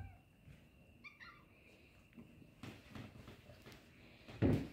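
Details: Small kittens attracted by a light mew in a short burst of two or three thin, high calls early on, followed by rustling, knocks and handling noises against a constant hum.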